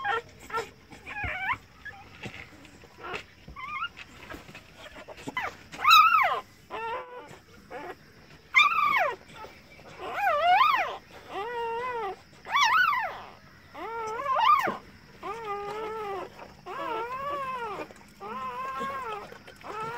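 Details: Indoors, while a Rottweiler and Indian pariah dog cross gives birth to puppies, a run of high, whining whimpers rises and falls in arching, squealing bursts. They come every second or two, some longer and louder, over a quiet room.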